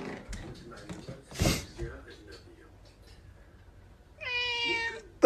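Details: Pet cat that seems to talk with people: soft rustling and a thump indoors, then one long, steady, slightly falling meow near the end.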